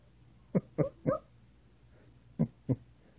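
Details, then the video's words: Maltese named Sasha making funny sounds: short low huffing barks, three in quick succession then two more after a pause, with a person telling her no and to lie down. "Maltese Sasha Making Funny Sounds"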